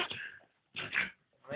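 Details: American Staffordshire Terrier giving two short breathy, nasal whining bursts about half a second apart, the second carrying a thin whistled tone, followed by the start of a third; no other sounds stand out.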